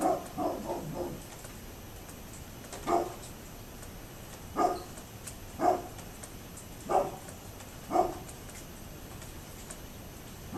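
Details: A neighbour's dog heard on 27 October 2011 barking repeatedly, an opening flurry of quick barks followed by single barks roughly every one to two seconds, distant and set against a constant hiss.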